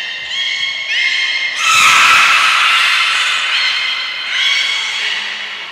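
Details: Trained belugas Gray, Nana and Mirai at Port of Nagoya Public Aquarium, 6 August 2023, produce a steady, harmonic squealing chorus that swells into a loud, bright, sustained stretch before easing off into softer, wavering tones.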